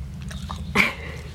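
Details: English Bulldog Diesel, grumpy and groggy from medicine after surgery to remove his corkscrew tail, gives one short, breathy, sneeze-like snort indoors, with a person talking just before and after.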